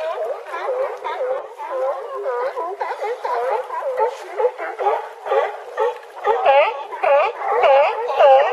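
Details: California sea lions on a harbor dock at Crescent City, California, bark in a dense chorus of hoarse, honking calls that overlap without pause; audio filtered to remove wind noise.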